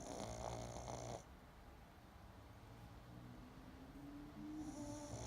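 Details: Pug snores while sleeping: a loud, buzzy, rattling snore at the start, then a soft low rumble with a thin steady whistle, and another snore building at the end.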